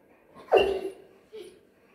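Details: Bernese Mountain Dog reacting to something it is scared of; one loud, gruff bark that falls in pitch, followed by a short quieter second sound, in otherwise quiet surroundings.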